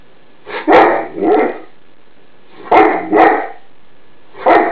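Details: Greater Swiss Mountain Dog giving alarm barks at an iron left on a bed indoors, typical of the breed: loud, harsh barks mostly in quick doubles separated by pauses, five barks in all.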